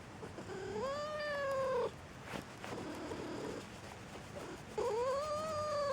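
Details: Pet domestic cat meowing twice: a long steady wail near the start, then after a pause a second rising, sustained meow, with soft background shuffling between calls.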